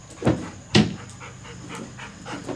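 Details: A Labrador Retriever waits at home for his brother to return from school. Two strong breathy puffs come close together, followed by fainter, evenly spaced breaths in a quiet room.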